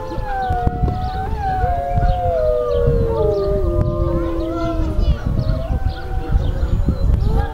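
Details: Grey wolf howling: long drawn, gliding tones that slide slowly downward, with several overlapping voices and a steady low rumble of background noise throughout.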